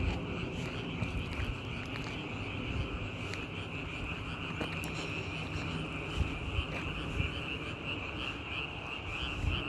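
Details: Chorus of frogs forming a continuous shrill, buzzing drone that holds steady throughout, with a heavy low background rumble and a few faint knocks.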